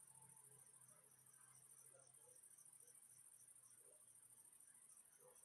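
Crickets chirp in a steady, high-pitched, shimmering chorus that pulses without a break.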